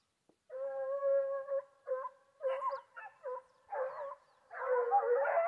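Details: Foxhound howling during a wild boar hunt: long, steady, tonal howls with rich harmonics, then shorter broken yelps and a rougher, louder howl at the end. No other sounds intrude.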